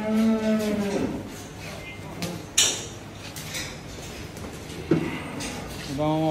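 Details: Cattle at Dhaka Agro in Bangladesh, a large collection of cows of different breeds for sale for Qurbani at Eid, 2024. A low harmonic moo lasts about a second at the start, and another rising moo comes at the end, amid clatter and voices.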